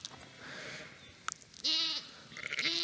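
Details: Urmerino sheep, a primitive Merino breed, on a farm in dry Portuguese countryside; a mother ewe calls constantly for her lost lamb until it comes back. Two harmonic, wavering bleats, the second shorter and rising, over quiet background noise.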